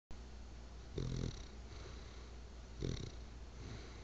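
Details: Bulldog asleep, snoring: two deep rasping breaths about two seconds apart, each a low rumbling snore with a faint airy hiss above, steady low hum between them.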